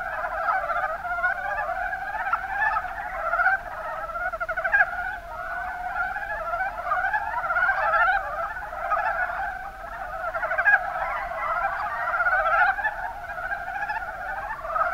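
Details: Mountain brown frogs, Rana ornativentris, in the Kuma Basin of Kumamoto Prefecture, Japan: a dense chorus of overlapping, rapidly pulsed rattling croaks, mid-pitched, continuous with no gaps, several callers layered together throughout.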